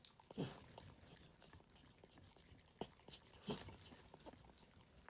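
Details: Pet dog eating its meal indoors, unedited: three loud crunching bites in a few seconds, each a short broad crackle, with softer munching and clicks of food between them.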